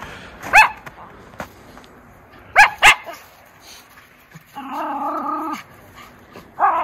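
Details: Sharp barks from Miniature Schnauzer brothers Lucky and Levi playing in snow tunnels in Aroostook County, Maine, on a 24-degree January day: a single bark, then a quick double bark, followed by a longer drawn-out vocal sound and a final yip.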